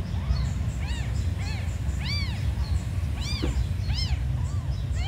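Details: Tiny abandoned kittens crying in a run of clear, bright, arching mews roughly every half second, some louder and sharper than others, against constant low-pitched background droning.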